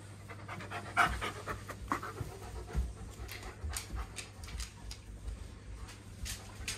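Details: Male White Shepherd, a large 44 kg dog, panting at a dog run while getting ready to go and play; soft breathy puffs come in irregular bursts over a faint steady low hum.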